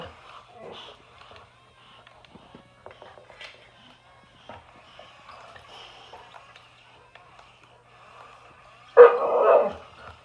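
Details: Boxer dog facing an excavator. Mostly quiet with scattered soft clicks and faint knocks, then one loud, harsh bark burst near the end that lasts about a second.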